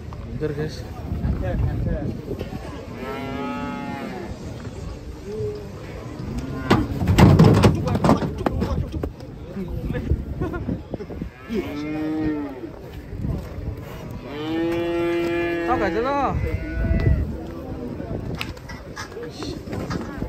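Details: Cattle being unloaded from a swaying truck in Indonesia, lowing in drawn-out harmonic moos around three and a half seconds, again near twelve seconds and in a longer rising-falling bellow at fifteen to seventeen seconds, over a busy, noisy background.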